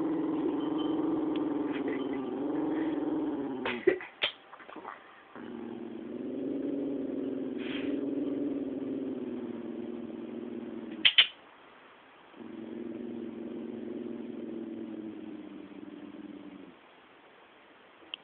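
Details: Jack Russell Terrier growling aggressively toward its owner's brother, indoors: long, low rumbling growls held for several seconds each, broken by short pauses and a few sharp snaps or knocks, with a quiet small-room background.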